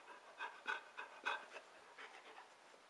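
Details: Sanka, a pet dog, pants while playing fetch and searching for a toy resting on its rump: quick breathy rhythmic pants, roughly three per second, fading toward the end.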